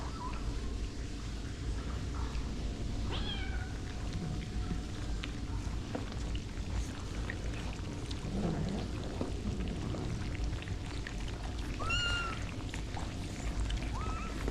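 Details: Rescued street cat awaiting the vet, heard over steady low background noise, gives a few short, separate meows spaced seconds apart, one sharp rising-falling cry standing out near the end.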